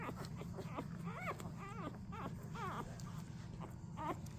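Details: Newborn Golden Retriever puppies from a litter of twelve born to mother Rosie on 4/25/23, giving high, squeaky, arched whines in quick succession, rising then falling, several overlapping, over a steady low rumbling background.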